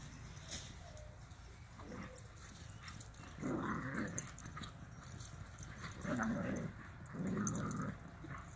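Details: Irish Wolfhound doing zoomies; three low, rough, growling bursts of about half a second to a second each, spaced a few seconds apart, over quiet background rustle.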